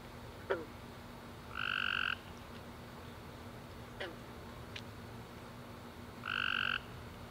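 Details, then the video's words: Tree frogs calling at night after a warm rainy summer day: two separate half-second nasal honks with stacked bands, spaced about five seconds apart, plus a few brief faint chirps over a steady low hum. "Tree Frog Chorus After A Warm Rainy Day - 10 Hours Tree Frogs Chirping You To Sleep"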